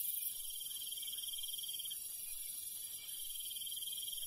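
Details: Countryside crickets at night: a bright, high trill holds steady for about two seconds, then fades into a softer continuous insect drone, with a faint low rustle underneath.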